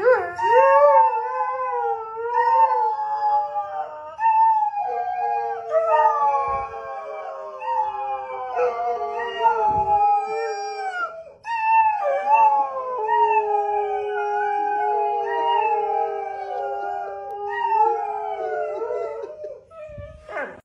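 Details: Several borzois howl together in long, wavering, overlapping tones that slide up and down, like a family conversation.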